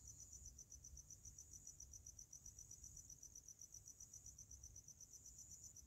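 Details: A cricket chirps at night in a fast, steady, high-pitched pulsing trill over a faint low rumble.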